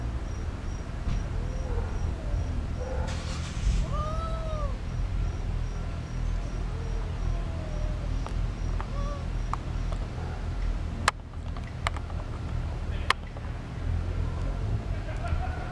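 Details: Cats mating in a backyard, giving drawn-out, wavering yowls that rise and fall in arcs, loudest near the middle, with softer moans between; sharp clicks later, over a steady low hum and a faint high insect-like tone.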